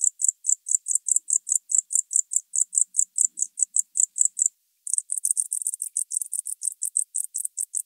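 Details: Shrill tropical house cricket chirping, Starnberg, Germany, 19 November 2021: regular high pulses, a short silent gap, then a quicker, denser burst of chirps. No other sounds.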